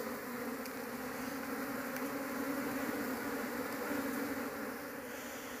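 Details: Honey bee colony (Apis cerana) humming steadily while its nest is opened in a search for the queen to keep at home; a continuous low drone with bands of buzzing, a man speaking faintly.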